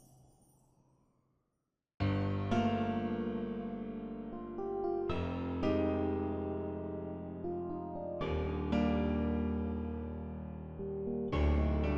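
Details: Soft piano or electric keyboard chords ring out with no animal sound at all. Each sustained chord is struck anew every few seconds after a brief quiet opening.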